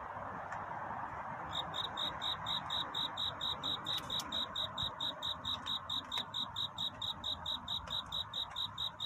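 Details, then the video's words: Cricket calling for a mate on a night of courtship; after a quiet hissy start, evenly spaced high-pitched chirps begin and repeat quickly, with a few faint clicks. "귀뚜라미 울음소리. 슬퍼 말아요 우는 것이 아니라 사랑을 찾는 노래랍니다 구애의 밤"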